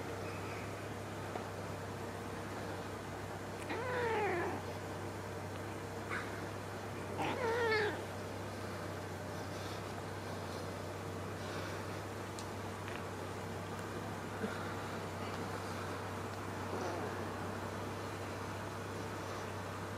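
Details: Hungry kitten without food meowing indoors; two drawn-out, falling harmonic meows around four and seven and a half seconds, then fainter short mews later, over a steady low hum.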